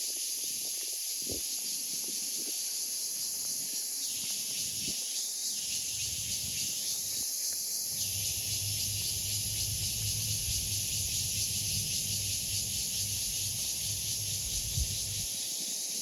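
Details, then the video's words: Cicada singing as a continuous shrill, high buzzing drone, joined by brief mid-pitched rasping bursts around the middle and a low rumbling hum in the second half. "Cicada's sound"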